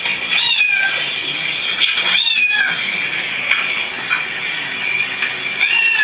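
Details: Cats listening to other cats meowing, with a dense, continuous wash of overlapping high meows and wailing cries and no quiet breaks.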